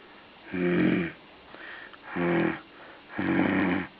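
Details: Three buzzy, rasping breaths from a puppy or dog, each roughly half a second long and about a second apart, with a soft wheeze between them indoors.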